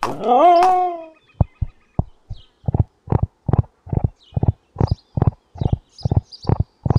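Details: Single quavering horse whinny, rich in harmonics and about a second long, followed by a steady series of low thumping pulses roughly two per second.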